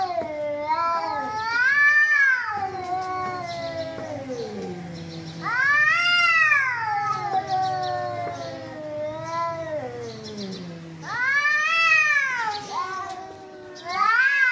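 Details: Cats fighting: rising-falling yowls in arched bursts every few seconds, each swelling then trailing into a low growl-like moan before the next outburst.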